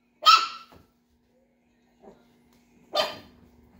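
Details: Chihuahua puppies eight weeks old giving two bright, high yaps about two and a half seconds apart, with a faint soft yip between them over a low steady hum.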